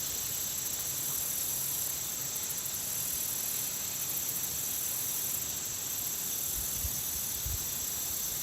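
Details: Insects around a country pond give high, thin trills that pulse in bursts over a steady hiss of countryside background.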